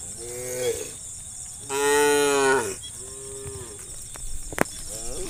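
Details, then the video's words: Wild cows of a countryside herd lowing to summon others to roam. Several overlapping moos, one long loud bellow in the middle with rich harmonics and shorter ones around it, a sharp click near the end, constant high-pitched drone behind. "The Sound of a Herd of Wild Cows Calling Friends to Roam in the Countryside - sound of cows mooing"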